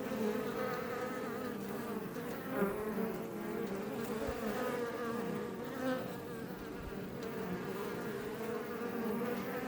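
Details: Close-up swarm drone of Iberian honey bees at a Langstroth hive near Els Ports, Catalonia, Spain: a thick, even hum with wavering tones and occasional louder passes by single bees.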